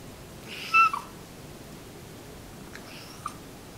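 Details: A talking pet cat indoors gives one short, bright, high meow with clear overtones, followed about two seconds later by a fainter, softer second call over a quiet room hiss.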